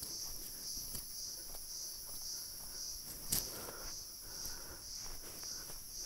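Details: Cicadas calling from a tree on a Forest Rest House campus in Manila, Almora District, Uttarakhand, among deodar cedars at about 2000 m; a steady, high, buzzing drone throughout, with footsteps and a brief knock.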